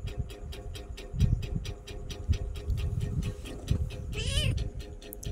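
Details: Tiny kitten talking to its owner and enjoying being petted gives a single drawn-out meow that rises and falls near the end, heard over a constant low rumble, regular ticking and faint handling noises.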